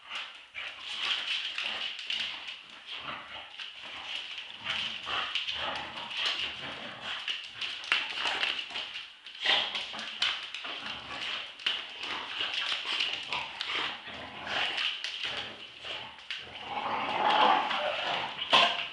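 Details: Indoor tug-of-war play fight between two Staffordshire Bull Terriers, two-year-old Roxy and eight-month-old Ralph. Gritty growling keeps up for the whole stretch in choppy surges, swelling louder near the end.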